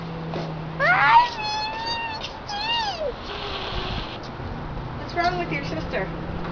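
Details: Agitated domestic cat during an oil anointing indoors gives a run of long, whining meows that slide up and bend down, three in quick succession, then a shorter later cry, with a low hum and human voices around.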